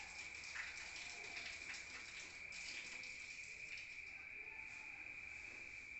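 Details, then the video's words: Night-time crickets in the countryside, heard from inside a room: a constant thin, high trill sits beneath repeated short rustling, hissy bursts of noise through most of the recording. "Rural Nature Sound of crickets at night heard from outside"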